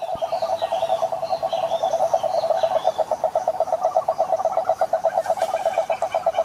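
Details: Rapid, evenly pulsed croaking trill of a toad, a male call meant to attract females, holding a steady mid-range pitch with a buzzy tone. Faint higher chirping sounds from other callers drift through the background early and late.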